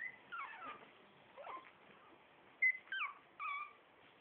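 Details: Litter A Shih Tzu puppies, four weeks old, utter short high whining squeals, some sliding downward, others flat and piercing, in separated bursts with brief quiet gaps between them.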